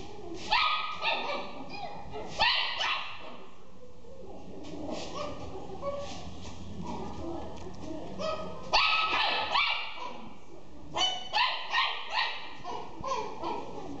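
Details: Pekingese-Pomeranian cross dog giving clustered bursts of sharp, high yapping barks and whiny yelps, a quieter murmuring stretch in the middle, then more rapid yaps toward the end.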